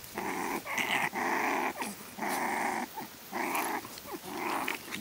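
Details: One-month-old Staffordshire Bull Terrier puppies from a litter of eight, playing and discovering the world while their mother watches, give rough, nasal growling bursts, about one each second.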